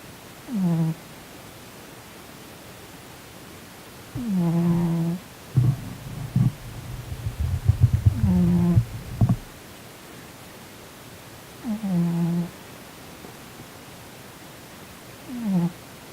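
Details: A sleeping male Korean shorthair named Sonny twitches and snores, possibly mid-nightmare; low, falling snores recur about every four seconds, broken midway by several seconds of rumbling, rustling movement noise indoors.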